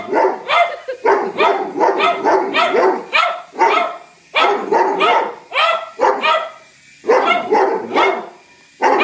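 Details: Pet dogs Whiskey, a Doberman, and Lucy, a cocker spaniel, attack a helicopter as an intruder with dense, repeated harsh barking and a few yips, the bursts broken by short silences.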